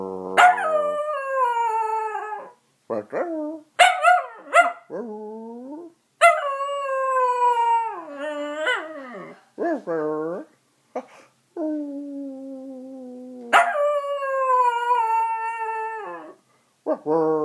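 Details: Dachshund singing in a drawn-out series of howls: long, held wails broken by short yelps and sliding, wavering notes, rising and falling in pitch, with brief pauses between phrases.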